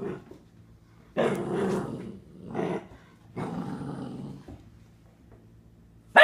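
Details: Penny, a four-month-old Catahoula Leopard Dog puppy, growls and barks at her own reflection in a bathroom mirror, worried the puppy in the glass will steal her toys; three broad, rough growling bursts with quiet gaps between.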